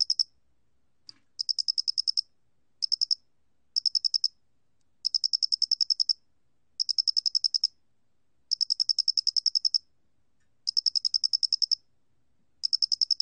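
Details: Calling square-headed cricket from a 2020 National Institute of Biological Resources recording, giving bright high-pitched pulse trains of uneven length, some short, some over a second long, with brief silences between them and a quiet background.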